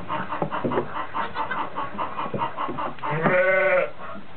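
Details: Goat near a newborn twin pair of kids: a run of short rhythmic clucking pulses, then one strong wavering bleat near the end, with handling noise in the background.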